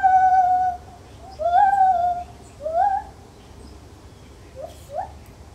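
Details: Lar gibbon in a zoo: a held, pure tone fades out, followed by rising, quavering hoots and two short upward-swooping notes near the end, against a low droning background.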